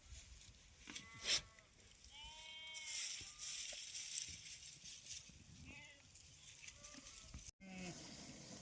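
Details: Goats being taken out to graze as part of Dhangar herding life, giving several short harmonic bleats, some wavering, spread through the stretch, with a man talking nearby and a sharp knock near the end.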